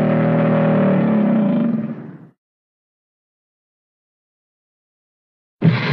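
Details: A single deep, throaty American alligator bellow rumbles for about two seconds and tails off into silence, with a harsh new roar just beginning at the end.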